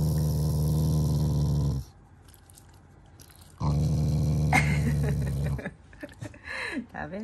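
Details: A family's Shiba Inu growls at its owners out of affection rather than anger. Two long, low, throaty rumbles, each about two seconds, are split by a quiet gap. Japanese speech and light clatter follow the second one.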